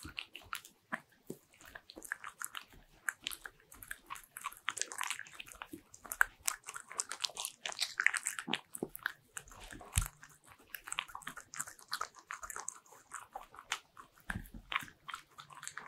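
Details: Bichon Frise dogs at home chewing butter-ring cookies, sustained crunchy biting with scattered sharp cracks and soft chewing between, a quiet indoor room behind.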